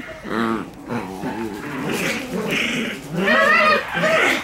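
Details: Shiba Inu puppies, sibling littermates, play fighting in a growling match; rough, harmonic growl-whines rise and fall in uneven bursts, with a brighter, higher snarl near the end.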